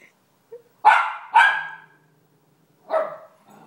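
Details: One-year-old female Miniature Schnauzer barking indoors at a dog on television; a faint yip, then two sharp barks in quick succession and a third after a pause.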